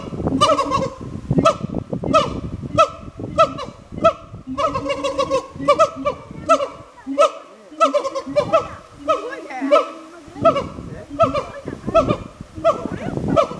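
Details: Pair of siamangs in a zoo in Kagoshima, Japan, answering each other in an exchange of calls: bursts of harsh, barking whoops come in quick runs, then pause briefly before resuming at a rapid, uneven pace.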